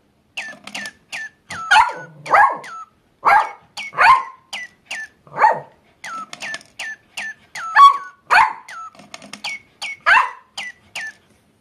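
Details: Papillon dog vocalising along with a chirping bird toy, seeming to sing with it: short high yips and whining, drawn-out barks in uneven bursts, mixed with the toy's repeated quick chirps.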